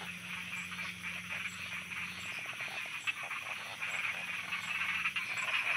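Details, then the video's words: Frogs croaking at night in Thailand: rapid overlapping croaks and rattling pulses form a busy chorus that swells toward the end, over a faint low hum and a thin high ringing tone. "Thailand Night Frogs Soundscape"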